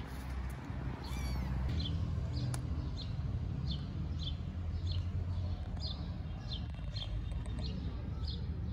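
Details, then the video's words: Tiny homeless kittens living on the street in Istanbul, calling as they don't want their feeder to leave: thin, high-pitched mews repeated about twice a second over a steady low urban traffic rumble. "Tiny kittens living on the street don't want me to go"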